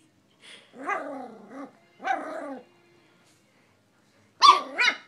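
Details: An eight-week-old Miniature Schnauzer puppy, playing with toys while urged on by a person, gives short, harsh, wavering barks and yelps in quick bursts.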